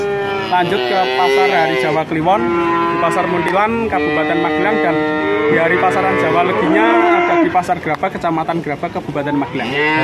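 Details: Nineteen male calves bought at Grabag, Magelang, keep up dense, drawn-out mooing, several calves overlapping with wavering pitch, and people speaking faintly beneath the calls.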